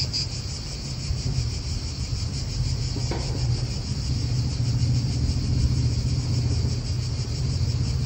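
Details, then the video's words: Cicadas droning in an Italian park: a continuous high pulsing buzz sits above a heavy, constant low rumble of wind and passing traffic, with a brief sharp click about three seconds in. "Cicadas wind real atmosphere in an Italian park"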